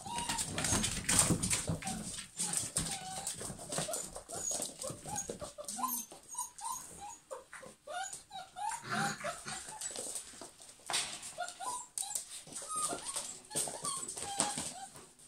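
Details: Several German Pinschers whine and whimper throughout: short, tonal, bending cries repeated irregularly, some rising, others dipping, among bursts of scuffling, clattering and broadband noise.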